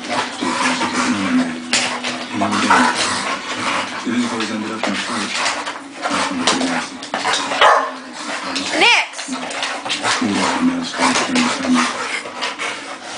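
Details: Two young American Bulldogs, Cinder (11 months, light fawn brindle) and Achillies (1 year, dark brindle), play fighting together; continuous low rumbling growls with snorts and scuffling bursts, a brief higher yelp near the ninth second.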